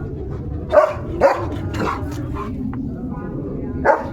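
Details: Leo, a German Shepherd, on a sunset farm walk while playing with a balloon: three loud, short, sharp barks, two close together and one after a pause, over ongoing human speech.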